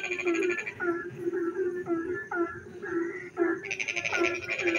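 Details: Frogs singing in the dark night while it rains: a steady series of short low croaks with ringing harmonics, repeated about twice a second, joined near the end by a loud buzzy pulsed trill from another caller.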